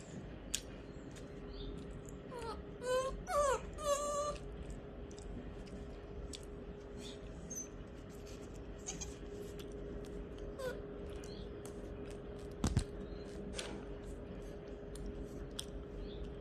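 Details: A puppy that is learning to sit gives a short burst of high, wavering whines, begging for food.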